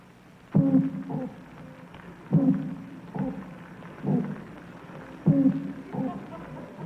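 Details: Underwater recording of a toadfish's mating call, made in naval research on underwater animal sounds: low, droning hoots repeated every second or two.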